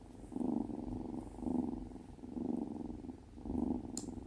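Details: Tonkinese kitten Binwoo, female, cuddling on her first day home; a deep purr pulsing in four even swells about a second apart, with a small click near the end.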